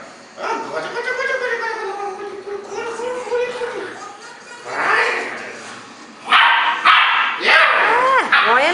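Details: Golden Retriever puppy, a two-month-old female, playing her favourite game; a long drawn whine gives way to sharp, rapid yelping barks in quick bursts near the end, with a person's voice heard earlier.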